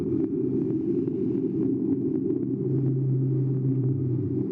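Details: A blue whale gives a very low droning call below about 100 Hz, a deep far-travelling sound that barely changes in pitch and swells for a second or two near the end, over a heavy continuous underwater rumble.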